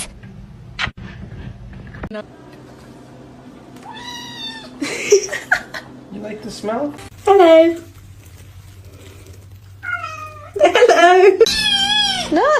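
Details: Kitten meowing indoors, possibly in a bathtub: several arched, wavering meows around four to five seconds, seven to eight seconds and eleven to twelve seconds, with people laughing and talking between them and a low hum.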